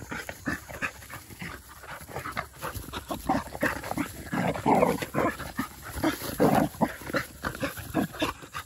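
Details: Labrador Retriever puppies of a field line, aged 197 days, black and yellow females, resting at lunchtime; loud, close, uneven huffing pants in rapid breathy pulses, swelling in the middle, with soft rustling around them.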